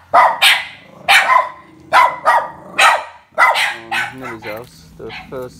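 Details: Two Border Terriers bark in loud, sharp bursts about once a second at people coming into the house, out of insecurity and over-excitement rather than aggression. Later barks turn higher and more yelping as a person speaks.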